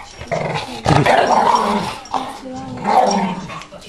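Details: A male Staffordshire Bull Terrier gives a rough, throaty play growl in uneven surges while holding onto a ball and tussling with his owner's finger over it. A person talks alongside.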